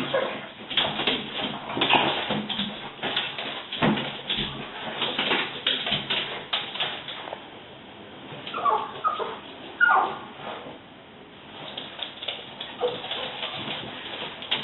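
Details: Pet French Bulldogs excited by the window cleaner's fortnightly visit: a burst of rough barks for the first seven seconds, then scattered whiny yips and squeaky whimpers separated by short pauses.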